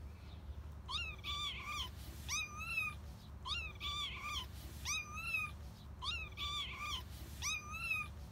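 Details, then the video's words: Kitten crying to its mother cat while she licks it and bites it, teaching it to hunt; its cries are said to sound like 'anne', Turkish for mother. Six high, harmonic meows, each rising then falling, come about every 1.3 seconds over a steady low hum. "ANNE DİYEN KEDİ SESİ 😻 GERÇEK KEDİ SESİ | YAVRU KEDİ SESİ"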